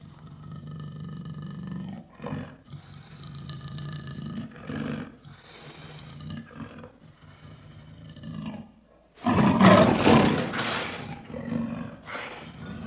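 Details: Lion producing a series of low, rhythmic grunting roars at a steady pace, building to a loud, harsh roar near the end before trailing off into softer grunts.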